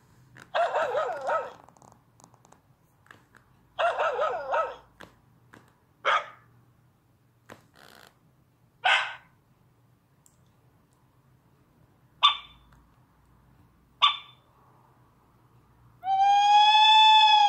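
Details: Dachshund puppy, indoors with a tablet, giving a series of short harsh barks and sharp yips spaced a few seconds apart, ending in a long high tonal whine with rich harmonics.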